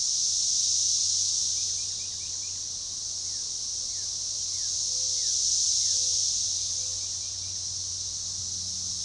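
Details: Synchronizing chorus of periodical cicadas, Magicicada tredecassini, near DeValls Bluff, Arkansas, forest edge along a baseball trail, June 7, 2015: an intense high whine waxing and waning about every four to five seconds, faint brief chirps scattered through.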